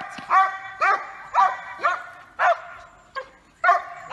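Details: Barking Giant Schnauzer, Yukon of Blackmoore, May 2018: a string of loud, slightly yelping barks about two per second with one short quieter bark and a gap before the last few.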